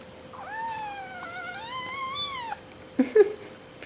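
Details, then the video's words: A petite 5-week-old Seal Point Himalayan kitten, being weaned indoors and hungry for wet food, gives a long drawn-out screaming meow with a wavering, slightly rising tone, followed by brief clatter and soft handling noises. "The Screaming and Very Spoiled Kitten"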